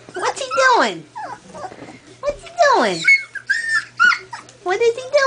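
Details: Two-week-old collie puppies from a Hannibal and Ella litter, having just discovered each other, with Quinn trying out her voice. High, falling whining squeals with harmonics come in bursts. A person keeps talking to the dogs over them.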